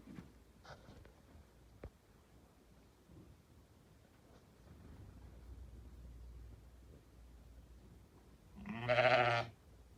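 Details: A six-toothed Damani ewe gives a single loud, wavering bleat near the end, after a long stretch of faint background noise and a few soft knocks.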